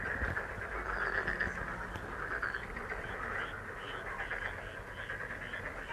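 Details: Frogs calling in a dense, steady chorus of rapid pulsed croaks that blend into a continuous buzzing wall of sound, offered as a lucky, relaxing healing sound, with a few faint higher whistled notes above.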